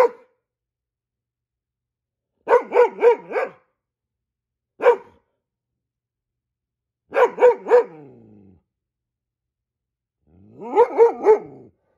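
A Goldendoodle barks in quick bursts of three or four, loud and ringing, to sound the alarm over squirrels.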